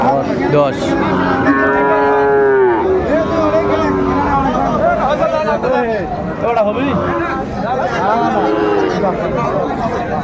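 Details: Friesian and crossbred bull calves at Raniganj cattle market, Dinajpur, on 9 January 2025, during buying and selling: loud, drawn-out, wavering moos overlapping one another, over steady talk and bargaining voices of a crowd.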